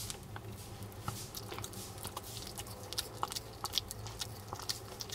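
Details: Male Maltese Jamong, born December 2015 in Gwangju, gnaws duck neck bone indoors, giving sharp clicky crunches and small snaps scattered over a low steady room hum.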